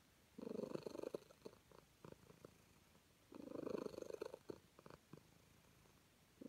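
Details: Contented calico cat, petted, gives two long rolling purr bursts about three seconds apart, each near one second, followed by lighter ticks and quiet.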